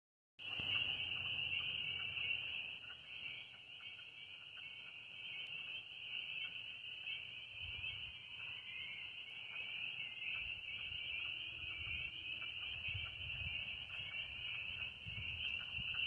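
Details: A dense chorus of spring peepers at a mine pond in Western Pennsylvania, countless high, piercing peeps blending into one continuous shrill ringing.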